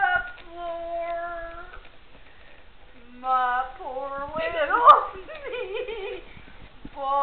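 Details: Siberian huskies kept at a backyard breeder kennel give drawn-out, steady howls, then a burst of bending, yodel-like calls in the middle, before a sustained tone returns at the close.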